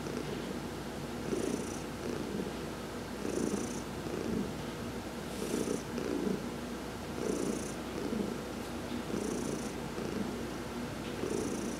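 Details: Heidi, an adopted domestic cat enjoying a massage in the sun on November 19, 2020, purrs steadily, the rumble swelling with each breath roughly every two seconds in a gentle repeating rhythm.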